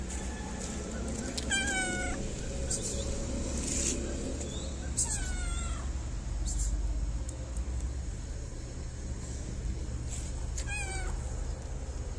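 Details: Fluffy stray cat from a Moroccan city meows while being petted around feeding time: three separate harmonic meows, each bending up then down, spaced several seconds apart, with constant low street rumble and faint clicks behind.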